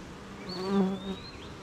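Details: A honey bee near the hive on a rainy morning, among gardens, farms and fields. A single bee's buzz swells to a peak and fades within about a second over the colony hum, with a long thin bird whistle above.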